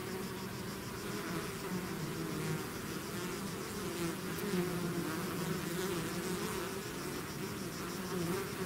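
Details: A hive's swarm of bees on the move: a full, steady buzz of countless wings, with low hum tones rising and falling gently.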